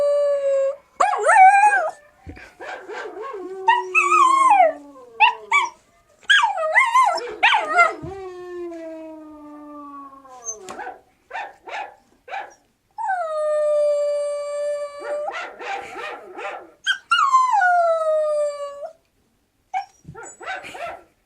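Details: Young Siberian Husky howling in bursts, with wavering, sliding howls broken up by short yips and yelps, then two long, steadier howls that fall slightly at the end, followed by a few quick yips.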